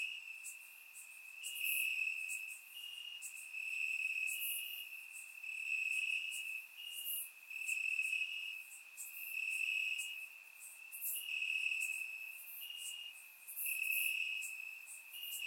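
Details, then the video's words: Warm summer night in Bulgaria, crickets chirping in the grass, surround-microphone recording: continuous shrill ringing trill pulsing louder and softer roughly every one to two seconds, plus scattered higher insect chirps overhead. "Cricket Sounds - Crickets Chirping at Night"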